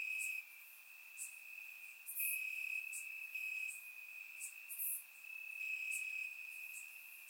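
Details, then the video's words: On a warm summer night in Bulgaria, crickets chirp in the grass, recorded in surround sound. A constant high ringing trill continues beneath irregular bright, hissing chirp bursts roughly every second or two. "Cricket Sounds - Crickets Chirping at Night"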